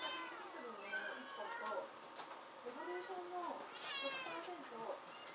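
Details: Kittens at a rescue shelter cat café in Otsuka, Tokyo, Japan, lively and light, climbing about; several overlapping high, rising-falling meows with bright harmonics, with human voices faintly in the background.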